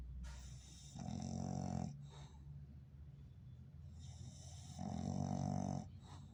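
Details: English Bulldog asleep and snoring heavily: two strong, buzzing snores about a second long, with softer rattling breaths between them.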